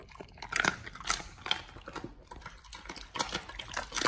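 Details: Dogs eating raw chicken breast and duck feet indoors: wet, crunchy chewing and biting with irregular sharp clicks and squelches.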